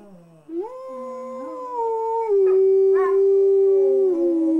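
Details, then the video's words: Pit Bull named Angus, being made to howl, rises from a low whine into a long howl that climbs, holds, then steps down slightly and tapers, with brief broken yips near the middle. "Angus The Pitbull Howls"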